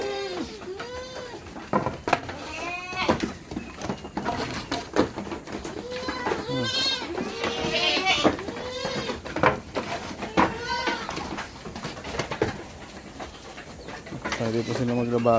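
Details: Many goats in a Philippine herd during summer, in the morning before being let out, bleating over and over: wavering, nasal calls overlapping one another from several animals, with background music and occasional human voices.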